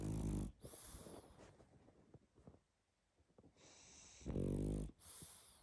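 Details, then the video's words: Pug sleeping and snoring strongly: a loud rasping snore at the start, a quiet stretch of faint snuffles and breaths, then another harsh buzzing snore. "Как спит Собака🐶Мопс сильно храпит"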